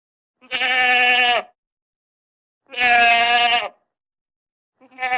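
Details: Two long, level goat bleats of about a second each, nasal and bright with a slight drop at the close, followed by the start of a third call.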